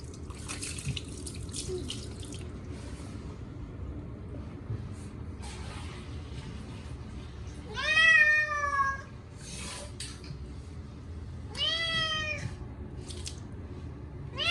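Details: Short-legged Munchkin cat Chacha protesting loudly while washed with catnip shampoo on a hot day. Two wavering, descending meows several seconds apart amid running water and splashing bursts.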